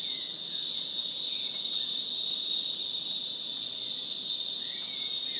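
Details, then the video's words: Green grocer cicada, Cyclochila australasiae, of coastal southeastern Australia, giving a loud, steady, unbroken high-pitched buzzing drone that holds without pause, with faint bird whistles in the background. "Green Grocer Cicada Sound effect"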